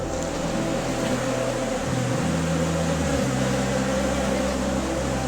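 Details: A steady motor hum with shifting low tones, like a vehicle or boat engine, and no animal voice.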